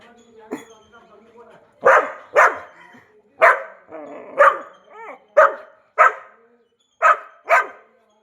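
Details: New Labrador puppy at home; about nine sharp, high yappy barks, mostly in pairs a half-second apart, with people talking and laughing nearby.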